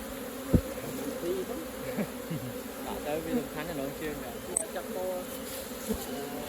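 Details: Honey bees humming steadily at an opened hive while honey is gathered; the drone is overlaid by a sharp tap early on, wavering human voices and light handling noises.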